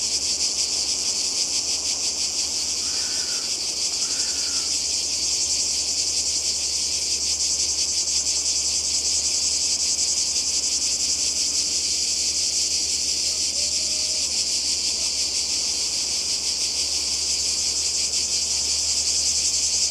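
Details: Cicadas calling by the sea in Croatia in summer 2020, a dense continuous shrill buzzing chorus that pulses steadily without pause; a few faint bird notes rise briefly early on and a low hum runs beneath.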